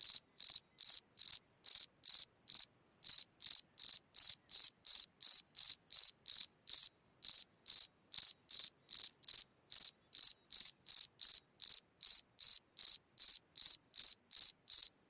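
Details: Cricket chirping at night from its hole in the ground, a steady high-pitched trill broken into short pulsed chirps, each three or four rapid clicks, repeating roughly every third of a second without pause over fifteen seconds.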